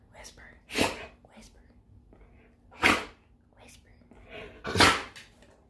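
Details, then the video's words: Red Siberian Husky named Maverick, trained to whisper for his treats, asking for cheese indoors: three soft, breathy huffs spaced about two seconds apart, each a brief airy burst with no voiced tone. "Funny red husky whispers for his treat"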